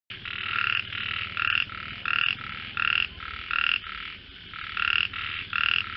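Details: Frogs calling in a described voice competition: loud, buzzy croaks in bursts of about half a second, repeating roughly every 0.6 seconds over a steady chorus of fainter croaking.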